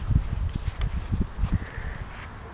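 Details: A mare at a smooth trot, hooves striking the ground in a steady quick rhythm of dull, low thuds, about three to four per second, with faint rustling and a thin steady tone in the background.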